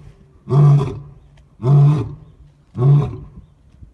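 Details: Deep, resonant roars from a white lion, three heavy grunting bursts evenly spaced about once a second, each swelling then fading into quiet.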